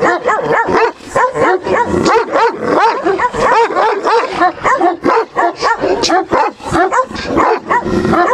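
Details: A female Central Asian Shepherd Dog, Turkmen Alabai, tested for territorial guarding instinct, barks furiously and without letup, a rapid stream of harsh harmonic barks and yelps, some bursts clipped and noisy, over eight seconds.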